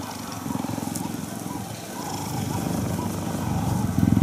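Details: Cheetah purring while cuddling: a steady low, throbbing rumble of rapid pulses that grows slightly louder toward the end, with faint hiss above.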